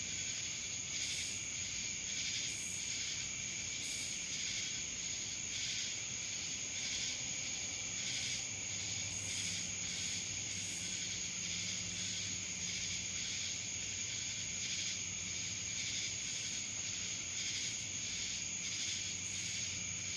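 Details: Cicadas calling in Dallas, Georgia: a dense, unbroken high buzzing chorus that swells and fades in soft pulses about every second, over a steady thin high whine and faint low hum.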